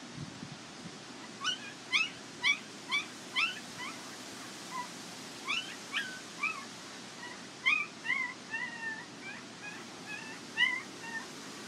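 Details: Border Collie puppies from the Nell x Skeet litter at the International Peace Gardens, 12 August 2018, whimpering in a busy run of short, high, squeaky cries, some rising and some falling, several per second over soft background hiss.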